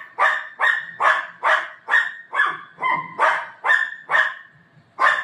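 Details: A Golden Retriever at home, playing with its owner, barks steadily, about eleven crisp barks roughly every half second, with a short whining tone in the middle.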